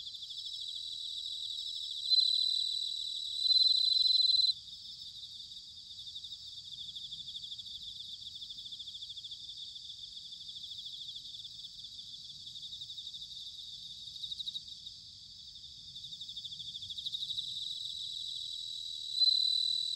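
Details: Bell crickets singing in autumn at Sanuki, Chiba Prefecture, Japan: clear bell-like high notes ring out near the start and end above a continuous chorus of fast, high trills, with a quiet low murmur underneath.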